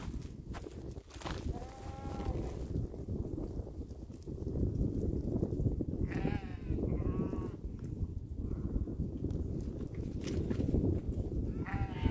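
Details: Sheep grazing alongside cows on a lakeside meadow; several short wavering bleats, one near two seconds and a cluster around six to eight seconds, with another at the end, over constant low rumble and occasional knocks.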